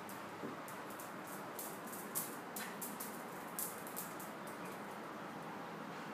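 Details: Indoors a fox terrier chases an unreachable moving red light on the ceiling, yet only a faint steady hiss with scattered soft clicks and taps can be heard, and no barking or whining.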